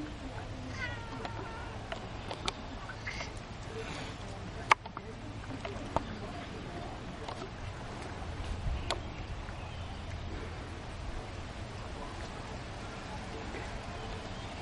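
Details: Pet cats while eating, a few short, faint meows early on, sharp clicks and taps, with low background hum and some murmured voices.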